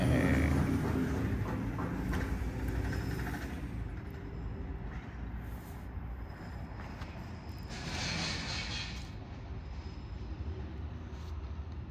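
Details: Steady low rumble like a passing train or vehicle fills the whole stretch, swelling briefly around the middle, with no animal voice heard.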